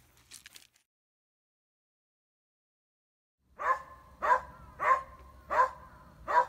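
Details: Gonta, a Beagle-type pet dog on Amami Oshima, Japan, guarding after playing with a glass sponge; after a brief rustle and three seconds of quiet, five sharp, even barks come roughly every 0.65 seconds.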